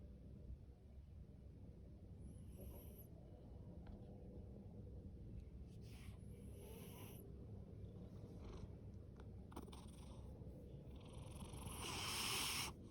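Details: Male ginger tabby domestic cat, born October 2019 and adopted from a rescue shelter, snoring and purring loudly: a steady low rumble throughout, with a few brief higher rustles and a louder broadband burst near the end.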